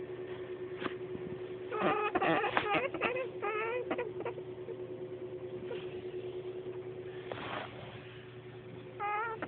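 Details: A large pet female rabbit honks when petted, in quick bursts of squeaky, nasal notes over a steady household hum.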